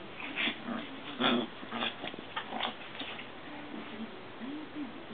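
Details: Three Maltese sisters from a mother-and-daughters family play together indoors with a frog. Low, wavering whine-like growls rise and fall through the clip, broken by short breathy bursts and small knocks from play in a small room.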